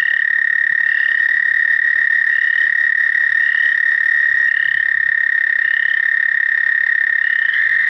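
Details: An American toad (Anaxyrus americanus) at Shaw Nature Reserve, Missouri, in April 2019 gives a long, steady, high musical trill that holds one pitch without a break.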